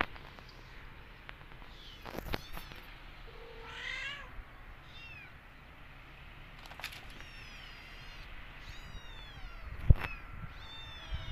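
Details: Several kittens in a cat family visiting a new place; high thin meows with stacked harmonics come in scattered bursts, clustered near the start, the middle and the end, over a low background rumble and a few sharp clicks.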